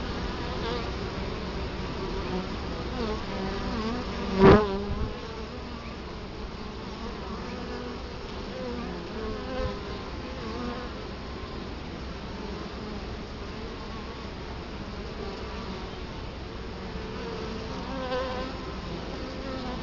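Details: Italian honey bees buzzing at the hive entrance in Colorado Springs, October 2011, filmed up close in front of the hive: a soft steady drone with faint wavering tones, and one sharp knock near the start.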